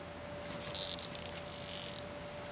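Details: Cicada being played with by Nellie, a neighbour's cat. Two short, high buzzy bursts: a crackling one lasting about a third of a second, then a steadier half-second buzz, over a faint constant low hum.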